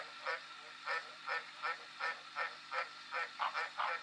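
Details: Green tree frog croaking in a brisk, regular series: about eleven short, nasal, honking notes in four seconds, the last few coming closer together.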